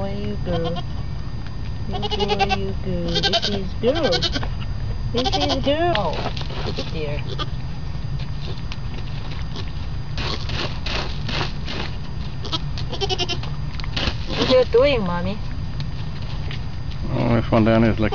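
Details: Baby goats, newborn, bleating again and again: brief quavering cries, some wavy and rising-falling, scattered through the recording, mixed with human speech and a low droning background.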